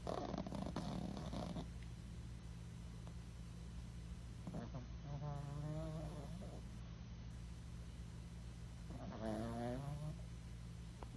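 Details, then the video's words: Tiny senior female rescue dog asleep in a foster home, snoring with low rattling breaths and two clearer wavering, whistly snores rising and falling over a constant low background hum. "Snoring tiny senior rescue dog"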